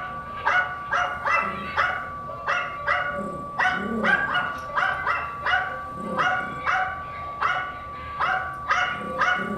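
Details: Pet female Yorkie barking at a film of her own barks, 2017: a long, even series of about seventeen short, high-pitched yaps, each ringing with bright overtones, delivered in a steady pulse with brief low growly notes between.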